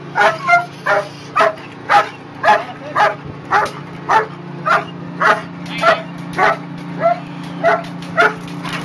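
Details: Protection-trained German Shepherd Chriss on a tug boat barks repeatedly and forcefully, nearly two barks a second in a regular rhythm, with a faint low engine hum underneath.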